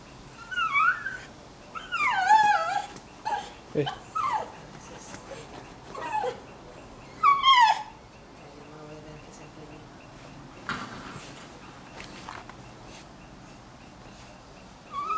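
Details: Female Miniature Schnauzer in labor at home, 2:22 p.m., June 24, 2008, during the birth of her first of three black-and-white puppies; high, wavering whimpers and whines rise and fall in scattered bursts, with people talking softly in Spanish between them.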